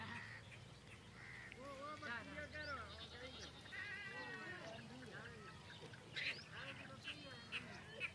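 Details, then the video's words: Goats on a goat farm, many voices overlapping: repeated wavering bleats and nasal calls rising and falling over about eight seconds, with a steady low hum and occasional human voices in the background. "the Goat life Goat Farm #goat #GoatGabbleGalore #goatbirth #goatbarking #goatvoice"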